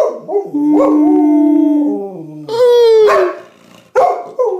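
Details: Male springer spaniel Baxter joins his owner's howling session; a steady human drone runs under a higher, gliding dog howl that slides downward, broken by short yelps near the end.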